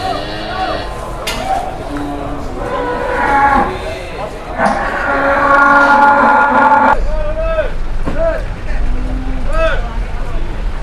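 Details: Big masked cattle coming down off a truck in Indonesia; short bellowing moos with curved, wavering tones near the end, after a loud stretch of clattering and rumbling, with people talking throughout.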